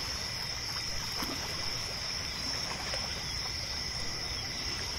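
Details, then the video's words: A lakeside night chorus of crickets, mixed from several ambient layers: an even, sustained high trill holds steady while water dribbles and splashes softly in the foreground. "Lake Sounds at Night | Crickets, Nature Sounds"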